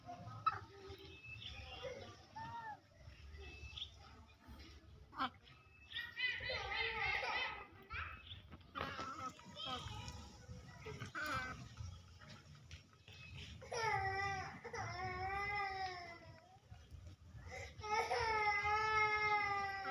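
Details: Big pet monkeys snatching from and hitting smaller monkeys; busy mixed chatter early on, then long wavering shrieks with strong overtones near fourteen and eighteen seconds, bending up and down in pitch.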